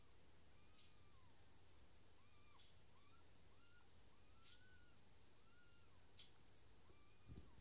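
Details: Newborn dachshund puppies just being born give faint, thin squeaking whines, each a short arched rise and fall, repeated every half second to second over a low steady hum with scattered soft clicks.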